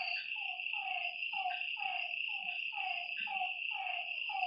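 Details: Rhythmic frog calling at a lakeside at night, about eight quick descending croaks in a row, with a persistent high insect trill.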